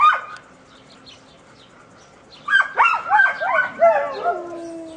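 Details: Playful dogs at Puppies Park, Toro among his friends: after a short yelp and a pause, a rapid run of five or six high, bending yips and barks follows, trailing into a drawn-out whine.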